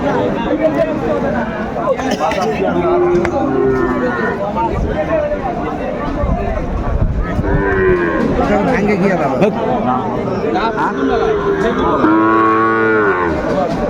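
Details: Cattle at a market in Kurigram, Bangladesh, where Sahiwal bull calves are sold on 27 July 2024: many overlapping deep, drawn-out moos with bending harmonics, one after another, beneath constant crowd chatter and bargaining voices.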